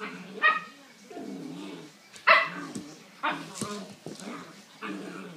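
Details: Two male Kuvasz dogs, a 10-week-old puppy and a 14-month-old, fighting; rough growling runs underneath sharp bark-like yelps that burst out roughly once a second, loudest near the half-second and two-second marks.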